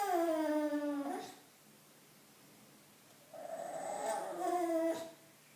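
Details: Bulldog named Loetje indoors, wanting attention: two drawn-out harmonic whines, the first sliding downward and breaking off at about one second, the second rising then falling after a quiet gap, in a small room.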